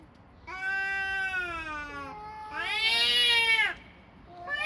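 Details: Two cats vocalizing: a long, level, drawn-out meow, then a louder, higher meow that rises and falls, both with rich, clear tones.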